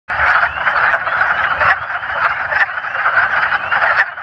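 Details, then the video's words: A chorus of wood frogs (Lithobates sylvaticus), calls amplified by paired vocal sacs, gives rapid, quack-like clucking croaks blending into a steady rattling din, with high-pitched spring peepers in the background. "Wood Frogs Calling (Vocal Sacs)"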